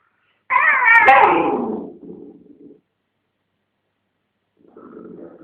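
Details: Domestic dog, a blonde dog with a dog chew between her paws while a red dog tries to take it, making a strange racket: a loud wavering moan lasting over a second, then a low rumbling growl, and another low growl after a pause.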